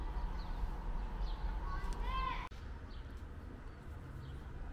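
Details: Calico cat meowing loudly as if wanting to tell something; one short harmonic meow rising then breaking off after about two seconds, over a steady low outdoor rumble with faint bird chirps.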